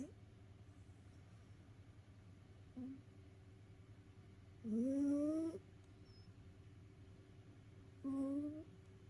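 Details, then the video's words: An indoor cat exhausted after play snores: a faint squeak, then one loud upward-sliding whistled breath and a shorter one near the end, with a low steady hum throughout. "遊び疲れた猫のいびき Snoring of a tired cat."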